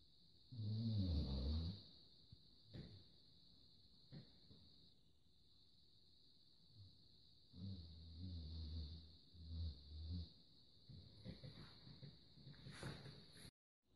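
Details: Labrador Luna snoring while asleep: two deep, rumbling snores about six seconds apart, the second drawn out with fluttering pulses. Quieter breaths follow, with a steady high electronic whine throughout.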